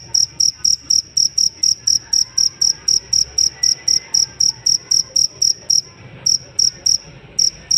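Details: Cricket chirps used to teach songbirds: a rapid, even series of bright high pulses near four per second, a clear gap around six seconds, then the chirping returns, over faint low rumble.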